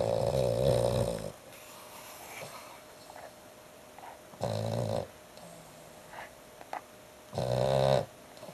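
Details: Dog snoring very loudly indoors, three long harsh rasping breaths about every three seconds, each lasting roughly a second, with quieter breathing between them.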